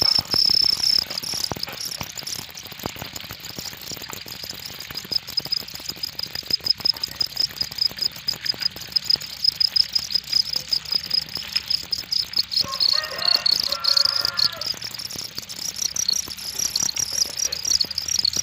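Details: Cricket chirping in high, fast pulses throughout, joined midway by a brief squeaky higher-pitched sound, with constant clicking and rustling underneath.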